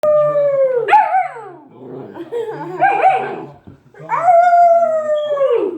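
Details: A 12-week-old puppy singing: drawn-out, tuneful howls that start high and slide downward, with a wavering, warbling middle phrase and a final long falling howl, plus a faint low hum underneath.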